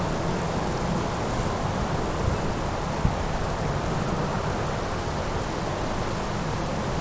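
A grasshopper keeps up a thin, very high, steady buzz made of rapid pulses.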